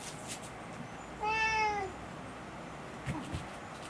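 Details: Rescued pet cat indoors in the morning, asking for breakfast with a drawn-out 'naan' voice when its owner oversleeps: one clear, slightly falling meow lasting about half a second in a quiet room.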